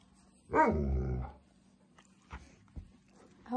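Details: Alaskan Malamute pet dog vocalizing at its owner: a single drawn-out, wavering yelling moan lasting under a second, followed by soft household noises and a woman's voice asking how she can help.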